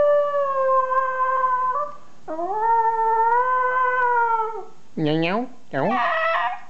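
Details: Small pet dog and owner howling together in a playful exchange: long, even, tonal howls held for about two seconds each, followed by two short rising-falling yowls, with a human voice mixed in.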